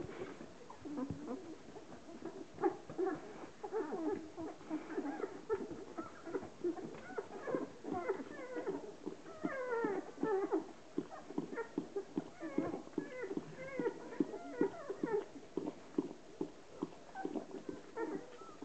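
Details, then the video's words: Ten-day-old Hovawart puppies, a litter of 13, being washed by their mother Relax; dense, rapid chorus of short rising squeaks and whines from many puppies over steady licking and shuffling noises. "Hovawart bitch Relax washing her 10 days old puppies"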